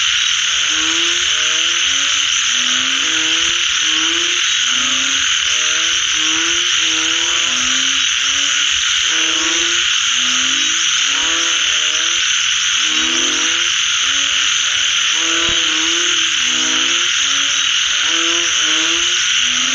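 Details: After rain, many frogs give short tonal calls that slide upward, overlapping in a busy chorus, beneath an intense, unbroken high-pitched buzzing background.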